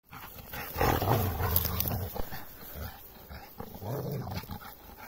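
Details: Six-month-old Rhodesian Ridgeback puppy named Raoul playing with Galileo, an Australian Shepherd: low rumbling play growls and grumbles, loudest in the first two seconds, with scuffling between bursts.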